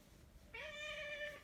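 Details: A big Maine Coon cat lounging on a sofa gives a single clear meow, rising slightly then holding steady.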